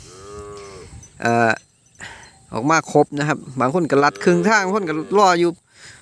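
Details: Calves bawling after being separated from their mothers, crying together. Low, harmonic moos and bleats arrive in overlapping bursts, one brief call early, then a rapid run of wavering cries over the last few seconds, with faint outdoor background.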